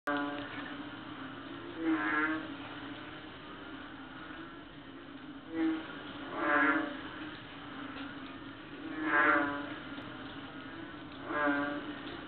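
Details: Small frogs calling at night on Palawan in late August, their croaks loud as a cow: deep, nasal, harmonic-rich croaks sounding in separate bursts about every two to three seconds over a steady low drone.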